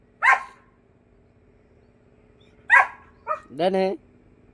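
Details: Hunting dogs out on a rabbit hunt: two sharp, broadband barks about two and a half seconds apart, followed by a short, higher, tonal yelp-like call, with faint background hum.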